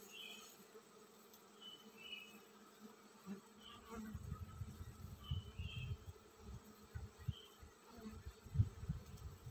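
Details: Honey bee colony preparing to swarm: a steady low hum with a fainter overtone runs throughout, with dull bumps and rumbles in the second half and a few faint chirps overhead.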